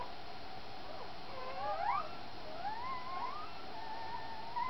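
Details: Thin puppy squeals sound while Cha Cha is feeding. They are quick rising and falling glides, scattered and fairly soft, over a steady low indoor background.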